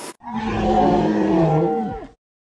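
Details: Northern elephant seal in mating season, 2012, in or near Big Sur, California: one loud, deep, guttural roar lasting about two seconds, rich and harmonic, steady then fading, opened by a brief sharp click.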